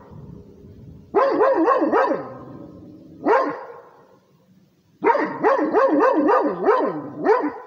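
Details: Rhodesian Ridgeback barking to defend its territory: loud bursts of deep, wavering barks in rapid runs, a pause, one more bark, then another fast series of about six.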